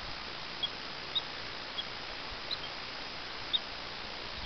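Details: Rock chuck or woodchuck on an evening in western Colorado, whistling and chirping at people and dogs that cannot reach it: five short, high, clipped chirps spaced irregularly about a second apart over a faint steady hiss.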